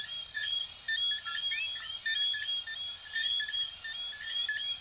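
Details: Coquí frog chorus, Venezuela and Puerto Rico, in which high whistled chirps pulse in bursts about once a second, with occasional upward-sweeping notes standing out from the crowd.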